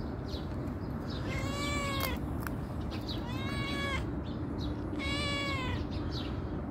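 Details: Calico cat that comes when called mews three times, each meow a long, bending, wailing note about two seconds apart, against constant low rumbling background noise.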